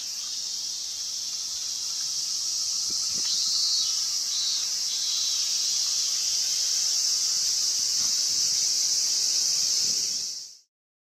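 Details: Cicada at summer's end, 19 August 2020, giving a steady, shrill, high-pitched buzzing drone that holds without a break.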